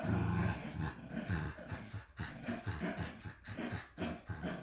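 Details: Playful growling from two Shiba Inu puppies at a Dutch breeder, a strong low rumble at first, then choppy uneven growl bursts with brief pauses, indoors.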